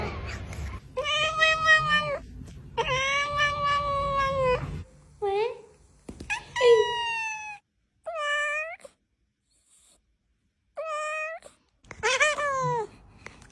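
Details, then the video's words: Domestic cat indoors meowing repeatedly: a few long, steady, nasal meows, then shorter rising-and-falling meows separated by brief pauses, with a little rustling and a faint human voice at the start. "The healing sound of cat"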